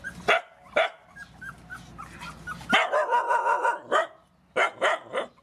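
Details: During feeding of rescued mother dogs and puppies, two sharp barks open, then faint high whines, a dense run of rapid barking and a final pair of yips.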